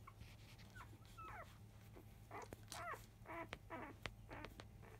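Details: Five-day-old field-line Labrador Retriever puppies of the mother Biscuit, just after 1 pm, fussing loudly as nursing begins: rapid high squeals and whines, many overlapping, some sliding downward, about two per second, over a low steady indoor hum.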